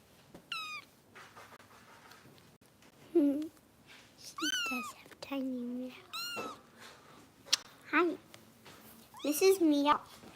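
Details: Foster kittens being bottle-fed by Kitten Rescue volunteers in Los Angeles give high, thin meows that slide downward, scattered across the stretch between bursts of a person talking softly nearby indoors.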